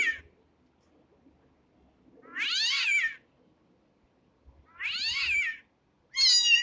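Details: Kitten mewing: three clear high-pitched cries with descending, slightly quavering tone, separated by pauses of about two seconds, soft background rustle.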